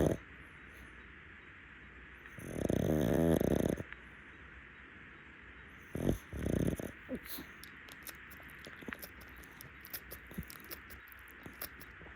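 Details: Pug, a rescue dog, napping on a futon. One long rasping snore with a fluttering rattle, a shorter snort-like breath, then soft clicks and rustling.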